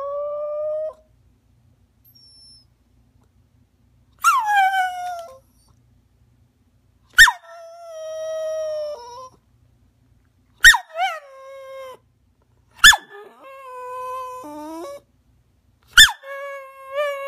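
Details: Maggie, a rat terrier, cries while asking to jump onto the couch: a series of sharp yelps, each trailing into a long, steady, high whine, repeated roughly every three seconds with silent gaps between.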